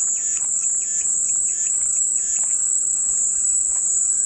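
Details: Cicada song heard as calming white noise: one continuous, high, steady buzzing drone without breaks, with faint short chirps from other creatures underneath.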